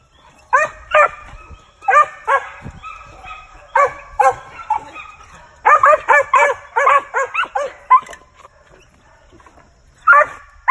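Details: Lightly started male Original Mountain Cur hunting dog; clusters of harmonic barks separated by quiet stretches, with a denser burst in the middle and a final pair near the end.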